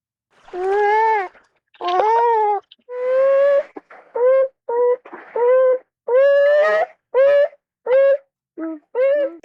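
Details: A North American beaver (Castor canadensis) gives a run of about a dozen whiny, nasal calls that rise and fall, each under a second, sounding much like a fretful child.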